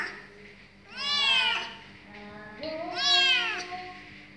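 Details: Kitten said to be good at singing gives two drawn-out meows, each rising then falling with rich harmonics, about two seconds apart, with a quieter tonal background between them.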